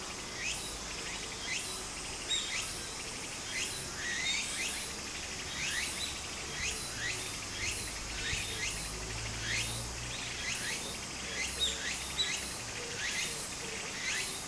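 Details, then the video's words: Cicadas singing in a Japanese summer beside a flowing stream: a steady high shrill buzz with rising swept phrases repeating about once a second, over the soft rushing of water. "小川の流れと蝉の声 自然音 ～夏～ Japan Sound of nature Cicada's voice"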